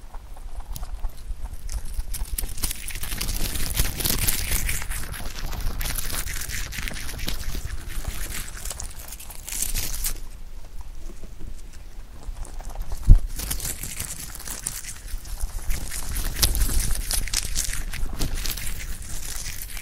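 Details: A rabbit munching clover leaves, recorded up close, with continuous rustling and crunching, broad bursts of crisp leaf noise swelling and fading, and a single sharp knock partway through.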